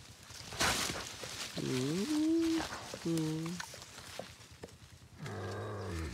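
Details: Wild boar piglet giving three wavering, tonal whines, each under a second and bending down then up, separated by short gaps, over a faint rustling background.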